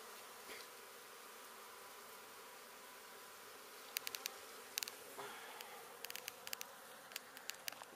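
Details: Honey bees from a hive being removed alive from under a home in Santa Rosa, Texas, making a steady high buzzing hum throughout, with sharp clicks and knocks from the removal work in the second half.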